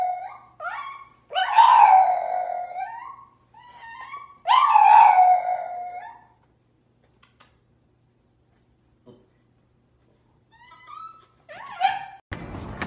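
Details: French Bulldog giving two loud, drawn-out, wavering howl-like yowls that slide downward, with softer short whines before and after. A long quiet stretch follows, then faint yips and a brief burst of noise at the end.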